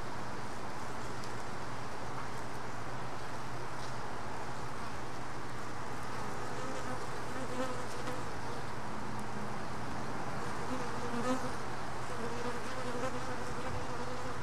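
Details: Honey bees at a hive box, one worker carrying a mite and trying to dislodge it; steady low droning hum of many bees throughout, with faint wavering buzzy tones weaving above the drone.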